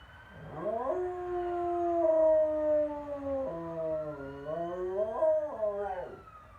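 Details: Dog howling: a rising opening slides into a long, slightly falling tone, then breaks lower. It climbs again into a wavering, bent note before sliding down and fading.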